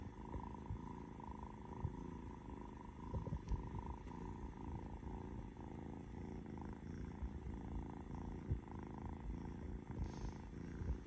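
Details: Young orange cat named Noah, loafing, purrs in a steady low rumble that runs throughout, with a faint steady hum and a few soft clicks in the background.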